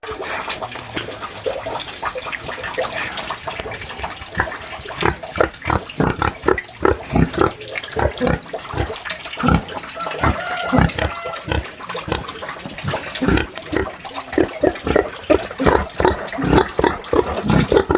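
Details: Free-range pig in its sty on a small farm, giving a run of short, low, rhythmic grunts, some closely spaced in bursts, with a faint watery splashing background.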